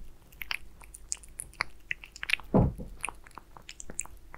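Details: Pet cat Aliska munching beef Friskies wet food: rapid wet clicks and bites throughout, with one heavier, longer squishy lick or gulp midway, recorded close in a quiet indoor room.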